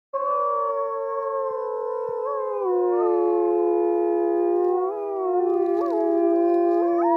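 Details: Several wolves at Polar Park, a Norwegian zoo, howl together in long, sustained, wavering tones that overlap into a chorus.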